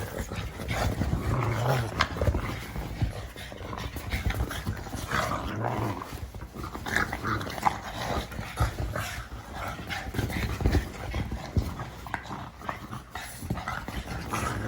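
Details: Pug giving a long series of rasping snorts, grunts and wheezes, loud and gravelly, packed closely together with occasional sharper bursts.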